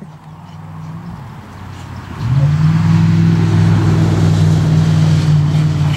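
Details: A motor engine rumbles and then revs up to a loud steady drone after about two seconds, over a low outdoor background; no animal sounds stand out.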